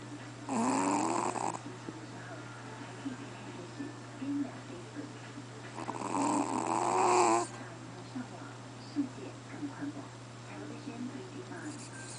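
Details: QBY, a Chihuahua, asleep and snoring loudly: two rough, wheezy snores about five seconds apart, each roughly a second long and carrying a whistled overtone. A faint constant hum and soft breathing noises fill the quiet gaps.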